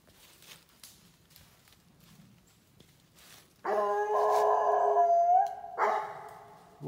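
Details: Treeing Walker Coonhound bawling on a raccoon track outdoors: after quiet rustling, a loud drawn-out bawl of over a second, followed by a shorter second bawl, both harsh and harmonic-rich.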